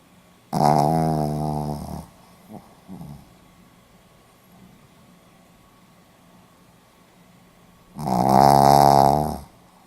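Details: A sleeping Pomeranian dog, recorded 4 November 2015, snores indoors: two long, rasping, harmonic snores, each about one and a half seconds, about six seconds apart, with quiet breathing between.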